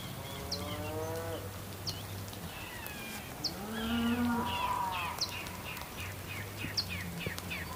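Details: Cows on a farm in the rain, with drawn-out rising and falling moos in the first half over steady rain hiss, a low hum, and short high bird chirps scattered throughout.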